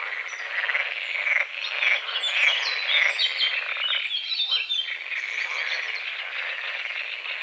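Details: A dense dawn chorus of frogs, high and rattling, at a small foggy lake on a forest edge, with bird chirps, buzzing insects and a distant rooster.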